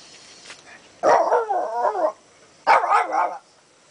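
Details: Canela, a talkative pet dog anxious to go out for a walk, gives two long, warbling bark-howls about a second and a half apart, each starting sharply then wavering up and down like speech.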